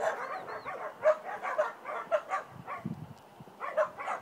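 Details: Border Collie named Sen during down-stay and wait training before being called to come; sharp barks in quick bursts, several spaced about half a second apart, then a short pause and a final pair of barks.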